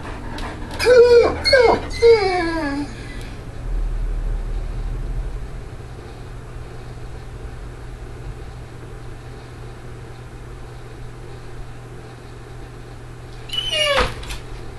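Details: Ghost, a male Great Dane shut in his crate and recently spooked by neighbours' fireworks, gives a burst of high, wavering whines with falling tones over three seconds, then goes quiet before a sharp metallic clatter from the crate.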